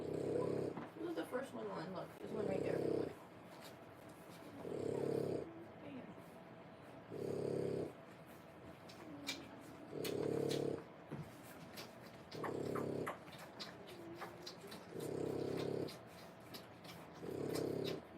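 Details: Three-week-old French Bulldog puppies, born 1/10/25, whelped indoors with their mother Boots; low, rasping snore-like breaths swell and fade roughly every two and a half seconds, with faint talking in the background.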